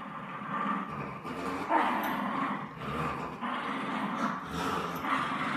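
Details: Steady rasping growls from a French Bulldog and a Bichon Frise locked in a playful tug of war, a continuous rumble with small surges of intensity throughout.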